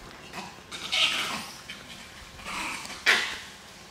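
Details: Langur monkeys fighting: harsh, hoarse screeching bursts, a brief one at the start, a long raspy cry near one second, another at two and a half seconds, then a sharp loud scream at three seconds.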